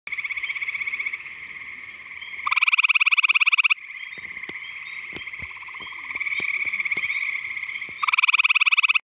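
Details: Gray tree frog (Hyla versicolor) near an ephemeral pool in mid Missouri gives loud, musical pulsed trills over a steady chorus of other trilling frogs.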